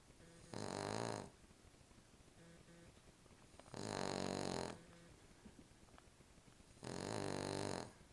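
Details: Sleeping female Cavalier King Charles Spaniel, a little dog curled on a pillow, snoring loudly: three long raspy inhaled snores roughly every three seconds, each broad and grating, with faint wheezy breaths in between, indoors.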